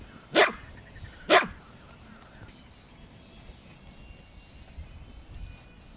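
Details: Jack Russell Terrier at home, two dogs present, gives two short sharp barks about a second apart near the start, then quiet room noise with faint household sounds.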